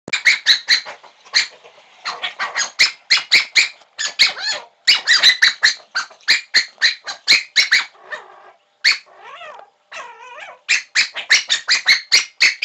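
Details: A black cocker spaniel barks in quick, insistent bursts, begging for a beer can.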